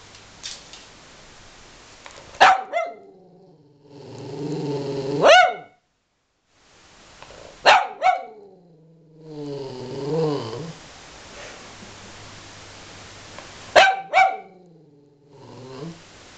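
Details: Domestic dog, angry at its owner, giving sharp single and double barks spaced several seconds apart, separated by drawn-out grumbling growls and whines with a low background hum.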